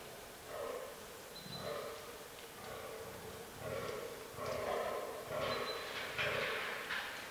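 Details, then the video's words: Fallow buck groaning during the autumn rut in a forest; low, throaty belches repeated roughly once a second, growing louder toward the end, with a brief thin high whistle-like tone twice in the background. "Fallow Deer Rut 2022"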